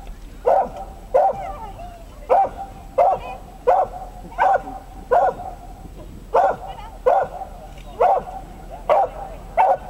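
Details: Excited Dachshund barking at the 2012 Römercup agility trial in Trier: a long run of about a dozen sharp, clipped barks, roughly one every 0.7 seconds with a brief gap midway, over faint crowd murmur.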